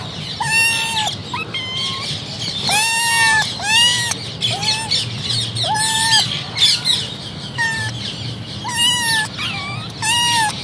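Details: Three kittens meow in thin, high, slightly arched mews, one after another in quick succession.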